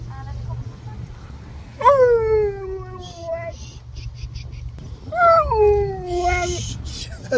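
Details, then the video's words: At a drive-thru, a Husky gives two drawn-out howls, each starting high and sliding downward, about three seconds apart. People talk in between, with a low vehicle rumble underneath. "Husky Howls his Order to Staff at The Drive Thru"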